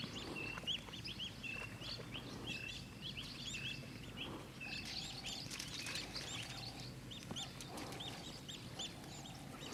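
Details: African wild dogs at Mana Pools, several animals chirping, make a dense run of high twittering squeaks, with brief clicks over steady low background noise.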